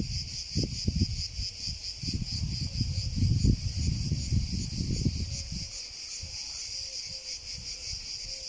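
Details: Shrill, evenly pulsing drone of a cicada throughout, with strong low rumbling noise in the first five seconds that fades, leaving the buzz clearer at the end.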